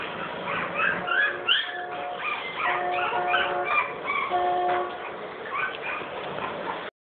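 Cocker Spaniel puppies whimpering and yipping together in thin, high, overlapping squeals.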